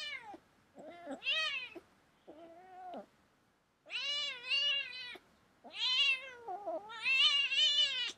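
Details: Domestic cat indoors, a run of wavering, whining meows, some short and low, others long and loud with a warbling quality, coming in irregular clusters.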